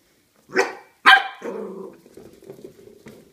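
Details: Corgi confronting a huge pumpkin indoors gives two loud barks a half second apart, followed by a low, rumbling growl that trails off.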